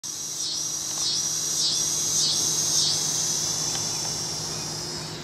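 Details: Tibicen pruinosa cicada in Hutchinson, Kansas, recorded the day after the first day of summer 2009: a continuous high, shrill buzzing drone pulsing in regular swells about every half second, with a low steady hum beneath.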